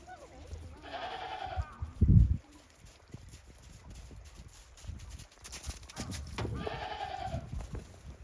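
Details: Farm goats at a handmade goat farm in Japan, 28 December 2023, out again after heavy snowfall and walking timidly on the snow; two wavering, harmonic bleats several seconds apart with a dull thump between them.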